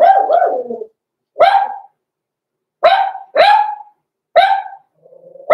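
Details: Six-week-old Cavalier King Charles Spaniel puppy, blenheim coat, kept in a home puppy pen: a double yip, then five separate shrill barks spaced about a second apart, with a soft whine near the end.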